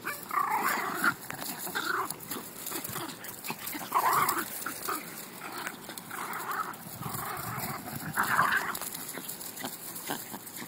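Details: Puppies at play give rough, breathy growling bursts that come roughly every two seconds, with a faint steady hiss behind them.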